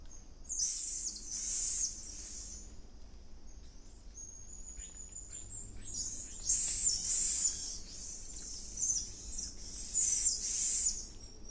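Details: Wild, endangered golden lion tamarins in the Atlantic Forest outside Rio de Janeiro give very high, thin chirps and trills, with a long level whistle between bursts.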